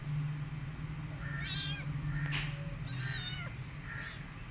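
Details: Rescued mother cat tending her kittens and an adopted kitten. Several clear, drawn-out meows with rich harmonics, each rising then falling, come roughly once a second over a steady low hum.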